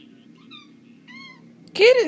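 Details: Playing Bengal cat named Simba lets out a loud, arching meow that rises then falls, heard after a few faint, thin tones over a low steady background hum.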